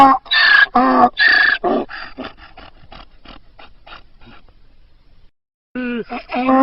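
A donkey brays with loud, harsh hee-haw blasts that fade into a run of short wheezing gasps.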